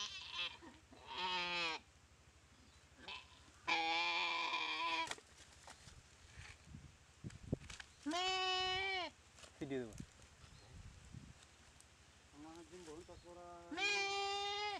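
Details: Goat bitten and paralysed by a Komodo dragon, being eaten alive in a dry river at Komodo Village; about six loud, wavering, nasal bleats of varied length, with shorter broken cries between.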